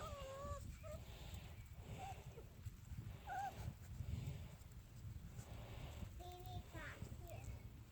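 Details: Litter of 4.5-week-old puppies venturing out of the barn on a field trip to meet new noises and surfaces such as gravel, giving short high whines that rise and fall, some in quick pairs, over low rustling and faint human voices.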